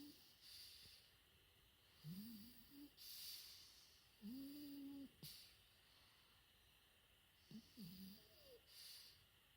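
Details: Sleeping French Bulldog puppy, four months old, snores with nasal whistling squeaks arching up and down on each breath, separated by breathy hissing and short quiet gaps.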